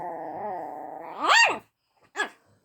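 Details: Pet dog Luna barking at another dog, Daisy, for the first time: a sustained harmonic growl-whine gives way to a sharp rising-falling bark, then one shorter bark after a pause.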